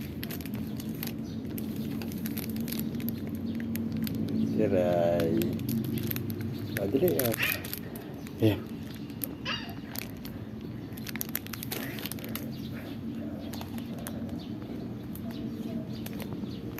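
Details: Two pet cats, Kiray the Persian and Shun the Siamese, waiting for their food: one drawn-out, arching meow near the middle, followed by shorter cries and clicks, over steady background noise and human voices.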